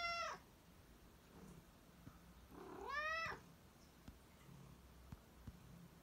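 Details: A black house cat gives two meows, the first short and falling, the second longer and arched about three seconds later, followed by faint clicks and handling noises in a quiet room.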